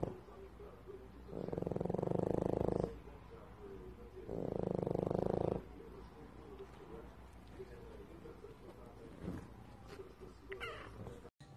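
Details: French Bulldog puppy snoring: two long, rasping, low breaths, each lasting over a second and about three seconds apart, followed by quiet background with faint rustling.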